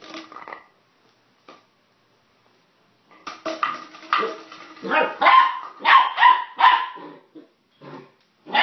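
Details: Puppy Sun playing with plastic bottles: a lone yip, near silence, then a rising burst of rapid yappy barks packed closely together, loudest toward the middle, ending in a few scattered yips.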